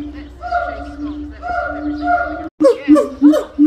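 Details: Territorial and family-bonding call of a gibbon: long, flat, clear hoots repeated about once a second, then after a short gap a burst of sharp upward-and-down swooping whoops.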